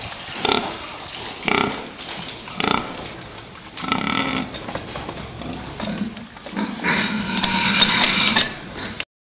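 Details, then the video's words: Fattening pigs in a pen making spaced grunts, then a longer rising squeal near the end, over a constant hum of barn noise. "prasata výkrm"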